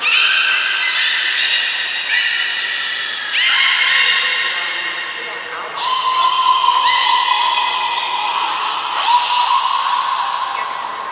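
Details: At Port of Nagoya Public Aquarium on 11 July 2020, training belugas Taanya, Nana, Mirai and Niko produce layered squealing whistles; a steady lower tone settles in over the second half beneath brighter shifting notes.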